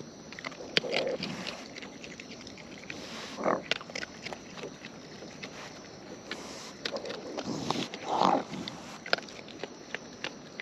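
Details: Raccoons in the wild feeding close up; soft irregular chewing clicks and crunches, broken by a few short low grunting or snuffling bursts, over a faint steady background hiss.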